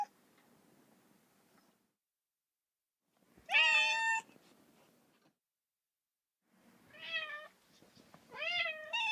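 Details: Lonely kitten crying for its mother: after a quiet start, one loud harmonic-rich meow near the middle, then two more rising-falling mews toward the end, with faint low room noise between calls.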